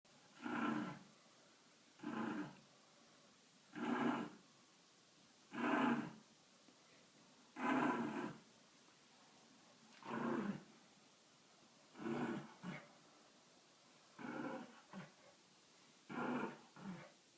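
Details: A dog making a sound like a motorcycle: about ten drawn-out, rumbling, throaty bursts, each under a second, repeated roughly every two seconds with quiet gaps between.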